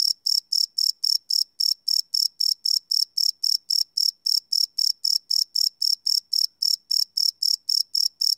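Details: Crickets chirping at night, recorded live on a Sony PCM D100 field recorder: a steady train of short, high, pulsed chirps repeating about four times a second, with no other sounds.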